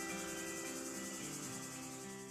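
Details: Cicadas keep up a dense, rasping buzz, a noise made to attract mates or as an alarm, that throbs rapidly and steadily, with a faint tonal hum beneath.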